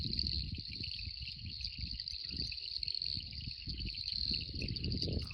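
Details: A dense night chorus of Southern Dainty Frogs (Cacosternum australis) in reed-bed habitat, high thin buzzing calls blending into one steady shimmer; frogs about thumbnail-sized.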